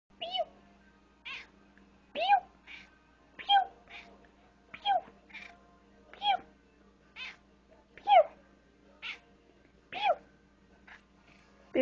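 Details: Extra-toed domestic cat talking to a person indoors, giving a steady series of short chirpy meows about once every second, alternating with soft rising trills, over a faint low hum.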